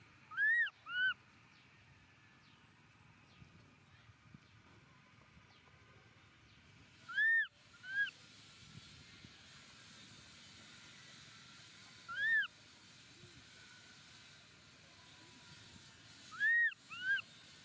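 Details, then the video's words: Baby monkey Momo cries loudly on the rocks as his father leaves; shrill, arched squeals come in quick pairs, recurring every four to five seconds, over a soft outdoor hiss. "Baby Momo cries loudly on the rocks"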